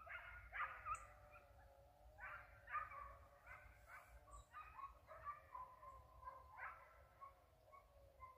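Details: Distant hound chasing a white-headed hare, calling in repeated drawn yelps and short barks roughly every half second to second, voices wavering in pitch, against steady low rumbling background.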